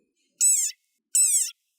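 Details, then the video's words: Desert rain frog, a very angry one, giving its war cry: two high, squeaky screams, each about a third of a second, like a squeezed dog toy, separated by a short silence. "It sounds like a dog toy, but actually, this is the sonorous war cry of a very angry frog."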